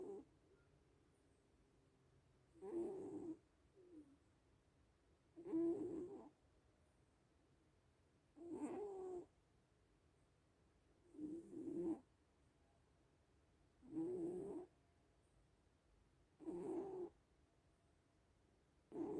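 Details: Little cats asleep, one snoring in a steady rhythm: seven low, throaty breath rasps spaced about every three seconds, each near a second long, over a quiet room.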